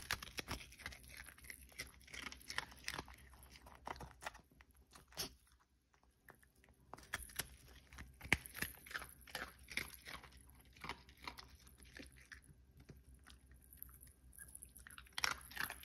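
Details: Indoor eating sounds from Cookie the Pomeranian: bursts of crunchy chewing and biting, a brief quieter pause near the middle, then renewed rapid crackling crunches and sharp bites.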